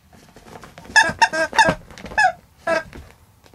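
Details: Domestic cat calling as a wake-up call for its owner indoors: a quick series of short, harmonic, chirpy meows, about five in three seconds, some with a slight downward bend, over faint room noise.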